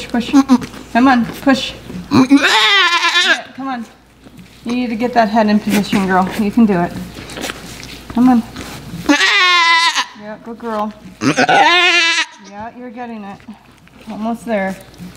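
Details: Miniature goat Blossom bleating while giving birth on a farm, after a season of difficult back-to-back births: several wavering, strained bleats rise and fall with harmonic overtones, interleaved with frequent human speech nearby.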